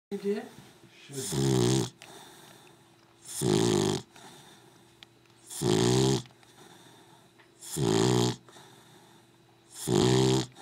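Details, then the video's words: Sleeping dog snoring steadily: five loud, rasping, noisy snores about every two seconds, each lasting roughly half a second, with quiet breathing gaps between them. "Dog Snoring"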